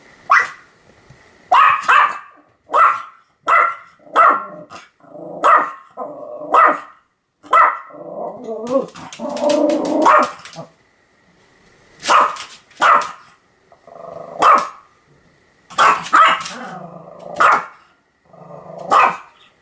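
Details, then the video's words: Continuous barking by Sam, a Pomeranian, filmed 7 October 2015: a long run of roughly twenty sharp, high-pitched barks at about one per second, with a brief growly, rougher stretch in the middle. "犬の鳴き声 ポメラニアン サムの連続吠え"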